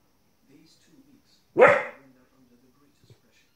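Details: A 15-week-old female Border Collie puppy barks once, sharp and harsh, at wolves and other animals on television, over quiet narration.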